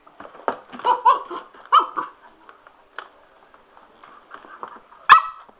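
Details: Sugar, a male Cocker Spaniel, goes a little nuts over a spin mop: a few short, sharp barks and yips scattered among mop clatter, with a burst of human laughter.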